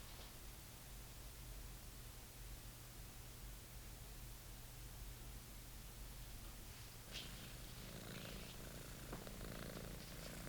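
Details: British Shorthair kitten named Monty, playing with his old favourite toy, purring in a low, steady, continuous rumble; from about seven seconds soft rustling and light scratching sounds of the toy join in.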